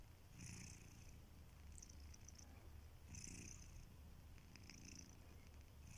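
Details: Sleeping pet cat Kitiboy snores quietly indoors, a steady faint low rumble under soft hissy breaths that recur about every one and a half seconds.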